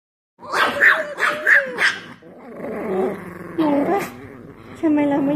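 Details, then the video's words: Chihuahuas quarrelling at home: sharp high yips and snarling growls over the first two seconds, followed by rougher growls and whines, with a man's voice speaking softly throughout. "Chihuahua cross fire"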